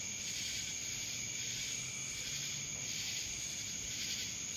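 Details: In Dallas, Georgia, cicadas fill the air with an even, high, sizzling buzz and a steady thin whine, with slight rhythmic surges and a faint low hum beneath.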